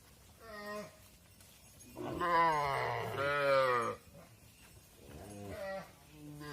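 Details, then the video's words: Mother cows entering a barn while their calves stay outside: a short moo, then a long loud harmonic bellow lasting about two seconds, followed by two more brief moos. "Mother Cows Entering the Barn While Their Calves Stay Outside | Farm Sounds"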